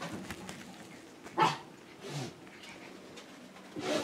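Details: Five-week-old Schipperke puppies Aaron, Abbey and Annie on a porch; short broadband yips come at roughly one-second intervals, with soft rustling between them and a quiet background.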